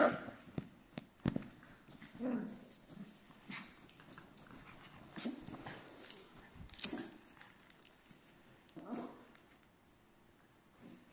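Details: Nine Miniature Schnauzers, four adults and five young, give short, scattered barks and whines in a room together.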